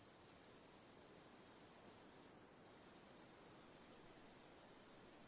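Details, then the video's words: Cricket giving sharp high chirps, roughly eighty per minute, evenly spaced with a brief gap midway, while a steady thin high drone and soft noise run underneath, for relaxing ambience. "Cricket Sounds for Sleep/Relaxation, Ambience, & Sound Effects"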